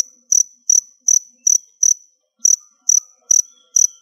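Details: Crickets picked out as close to molting give bright, high chirps about twice a second. There are five chirps, a short pause, then four more, with faint background rustles.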